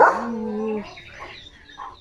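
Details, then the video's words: Male German Shepherd chewing and playing with a new pipe toy gives a steady, drawn-out nasal whine lasting under a second, followed by faint murmuring and background sounds. "Leo The German Shepherd ची नवीन खेळणी Pipe 🐶 | कसा चावत खेळतोय बघा!"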